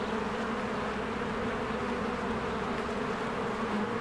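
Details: Swarms of honeybees working at a hive in spring, coming and going; continuous thick buzzing drone with a steady low hum underneath, unchanging in loudness for the whole stretch.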